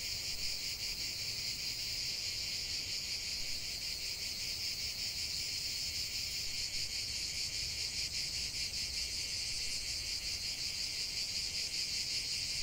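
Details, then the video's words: Cicadas singing together, a sustained sizzling buzz at steady volume with slight rhythmic throbbing, nothing else standing out above the insect wall of sound. "45 min de chant des cigales"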